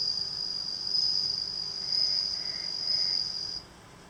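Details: Home-reared Japanese bell cricket, obtained as a tiny nymph in June and kept by the front door, singing after its last moult: a continuous high, bright ringing tone swelling slightly in loudness, with faint lower warbling pulses behind, then cutting off near the end.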